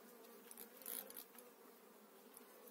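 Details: An eight-frame honey bee colony transferred to a new hive in spring 2018 gives a constant low drone, broken by a brief louder rustle and clatter of handling.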